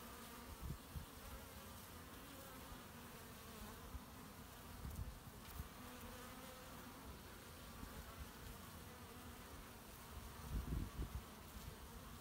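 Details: Honey bees collecting pollen, recorded 18 March 2018 from the owner's hives: a steady low droning hum of many bees, thick in the bass, with brief louder swells near five and eleven seconds as bees pass close.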